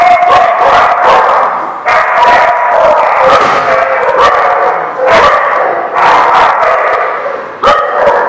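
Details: Many dogs at a kennel lot barking continuously, a dense overlapping chorus of sharp barks with a few louder bursts standing out, no pauses.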